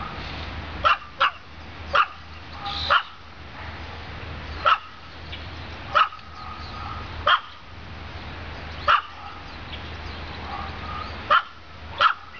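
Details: Olive, a female pet dog, gives a run of short, sharp barks, some in quick pairs, roughly every one to one and a half seconds over a constant low indoor hum.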